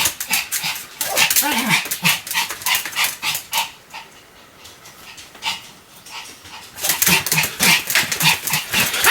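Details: Sam the Pomeranian barks in fast, bright yaps, about three per second, then falls quiet for a couple of seconds before resuming the same rapid, high-pitched barking.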